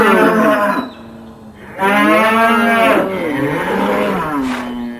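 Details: Raging bull bellowing: loud, drawn-out harmonic moos with a wavering tone, a short pause between calls, and a final lower call that trails off.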